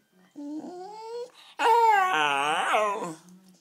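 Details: Hungry Wire Fox Terrier demanding food, loud and clear: a short tonal whine, then a louder, rising and falling harmonic wail lasting about a second and a half, indoors in a small room.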